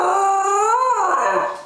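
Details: Female Pembroke Welsh Corgi chortling indoors when her owner coaxes her to talk: one drawn-out harmonic vocal of nearly two seconds, wavering, rising to a peak midway and then sliding down and fading.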